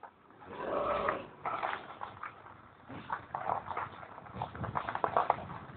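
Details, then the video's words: Sloth bear during an attack at Nagzira Sanctuary, Sakoli, Maharashtra, India: a loud, rough, sustained roar opens, followed by a string of harsh, broken growling bursts and huffs of varying loudness. "Sloth Bear attack"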